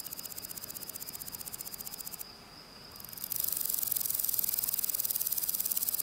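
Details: Spring-day grasshopper stridulation: a ticking, pulsed high rasp for two seconds with a steady thin whine, then a brief pause. A louder, denser buzzing series of rapid pulses follows and continues to the end.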